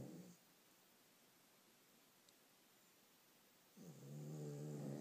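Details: Dogs snoring very loudly: a rasping harmonic snore at the start, a long quiet gap, then another heavy, buzzy snore building toward the end.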